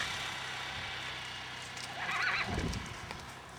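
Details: An Icelandic horse foal, recorded 21 July 2012, gives one short, high whinny about halfway through, over steady hissing noise and a low rumble.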